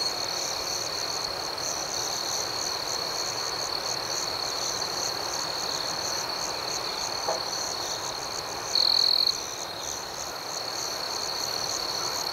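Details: Nighttime cricket chorus: continuous shrill trilling joined by fast, evenly spaced higher chirps, about four per second, with a brief louder tone near the end and a low hiss throughout.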